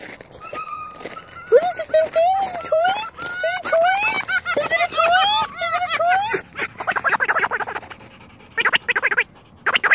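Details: Finnegan, a rescue red fox, playing with a new toy: a run of arched, whining harmonic calls, each rising then falling, repeated about every half second, then fast pulsed chatter with brief human voices.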